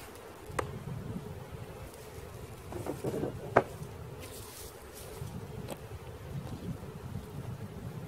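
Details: Bees swarming as they are caught: an unbroken mid-pitched hum under rough, low rumbling, punctuated by scattered sharp clicks and thumps.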